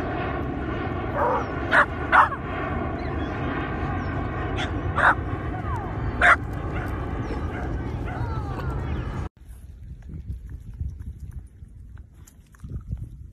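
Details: Miniature dachshund at play, letting out a handful of sharp, high yaps scattered several seconds apart over a loud, constant humming drone that cuts out near the end, leaving quieter rustling.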